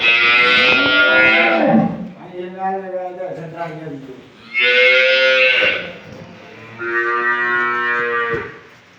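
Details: Holstein Friesian dairy cow at a farm in Setabganj, Dinajpur, Bangladesh, recorded 4 May 2025, giving several long, drawn-out lowing calls with rich harmonics, one after another, with faint background music.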